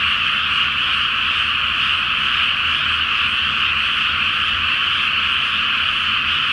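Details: Frogs in a large night chorus over a water-filled rice paddy before planting in Japan, under a full moon in the flower moon season: a dense, unbroken wall of overlapping croaks, steady and loud throughout, with no single caller standing out.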